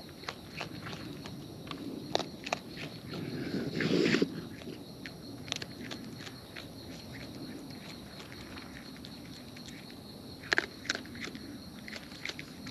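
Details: Close-up chewing of wild raccoons as they eat: scattered sharp clicks and crunches, a louder smacking burst around the middle, then sparse clicking over soft outdoor ambience.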